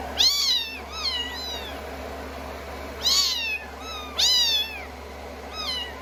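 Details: Rescued kittens on a lap after a shampoo, being dried with a hair dryer on day 16 of their growth record; high, arching meows with rich harmonics come in bursts of two to three, over the steady low hum of the dryer.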